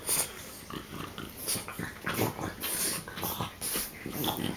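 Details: French bulldogs, three dogs play-biting together, make rough, noisy snorts and wheezy breaths in quick irregular bursts, some loud, some soft, with faint scuffling between them.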